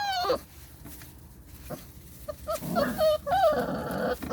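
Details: Belgian Malinois puppies screaming: a high tonal yelp at the start, then after a quiet gap a cluster of wavering squeals and short cries toward the end, over a faint background murmur.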